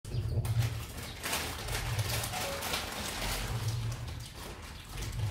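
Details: A male lion named Leo huffs and snorts in low, breathy bursts that come and go every second or two.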